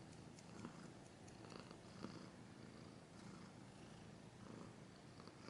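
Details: Steady cat purr, low and buzzing with a regular fluttering beat, recorded close and quiet, occasional light scratch sounds over it.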